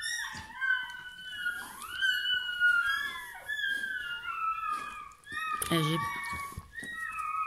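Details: Bernese Mountain Dog puppy just born, indoors: drawn-out high squealing whines sliding up and down, several overlapping, with a soft human voice speaking and a brief rustling thump near the end.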